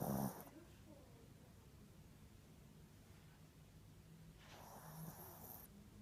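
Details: Ricky the Spitz snores in sleep: a brief harsh snort-like snore at the very beginning, several seconds of soft breathing, then a longer hoarse snore about four and a half seconds in.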